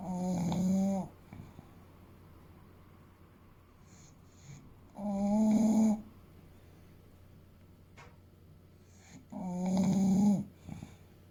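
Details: Fuku, an eight-year-old male English Bulldog of about 30 kg, asleep and snoring: three loud rasping snores about every five seconds, each roughly a second long with a low buzzing tone, separated by quiet breathing gaps.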